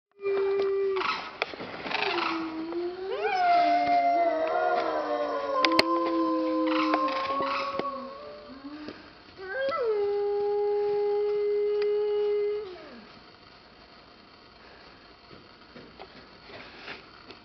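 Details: A female timber wolf at a Toyama family park howls in long, mournful tones that slide up and down before holding steady, starting when the 11:30 siren sounded.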